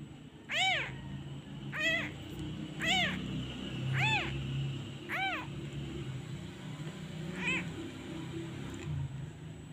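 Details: Abandoned kitten missing its mother, crying whenever a hand is taken away; a run of six plaintive, harmonic meows about once a second, then fading, with low rumbling background noise.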